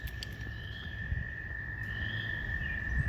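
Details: Toads in Busey Woods on 2 May 2020, in spring, gathered in flooded woods after a week of rain to begin breeding, hold a steady, high, musical trill without a break, with faint thin bird whistles over it, including a woodpecker and red-winged blackbird, and a low background rumble.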